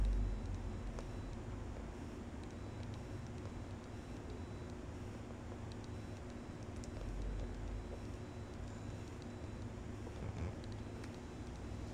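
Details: Quiet indoor room tone with a low steady hum and scattered faint ticks and taps, with no animal calls heard.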